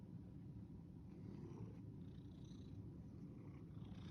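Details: Cat purring as a dense, low vibrating hum that holds steady throughout, with light rustling noises faintly on top.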